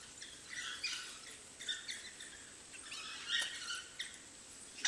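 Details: African wild dog puppies at their den giving bursts of high, squeaky twittering chirps in clusters, with short pauses between them, over a steady high insect hiss.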